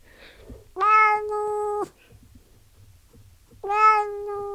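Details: A domestic cat gives two meows about three seconds apart. Each is about a second long, flat and steady in pitch, with a bright harmonic tone. The background is quiet.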